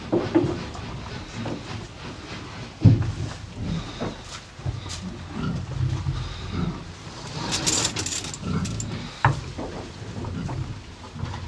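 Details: Pair of cows chewing hay: uneven crunches and rustles with a few sharp snaps, low rumble throughout, and a brief hissy rustle partway through.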